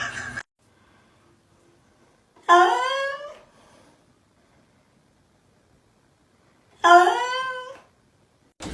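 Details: Domestic cat in a quiet room uttering two separate meows about four seconds apart, each a short rising-then-falling wail that fades quickly, with silence between.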